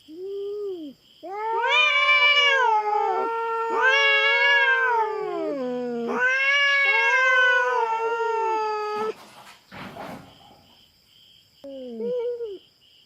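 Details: Feral cat in a territorial clash with a black cat on a Philippine farm: loud rising-and-wavering caterwauls in three long bouts, then a scuffle of noisy bursts, followed by shorter quieter moans; a steady insect hum persists.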